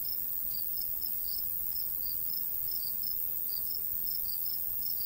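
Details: High, regular cricket chirps, about three a second, rise from summer countryside by a golden wheat field, with little low noise and a hiss of breeze.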